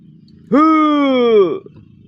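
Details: A pet goat lets out a single clear, steady bleat lasting about a second, dropping in pitch at the end, against a quiet low hum in the afternoon at the pen.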